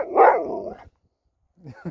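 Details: Pet Alaskan Malamute giving a short, loud, rough grumbling yowl that fades within a second, then a pause before a man's voice begins.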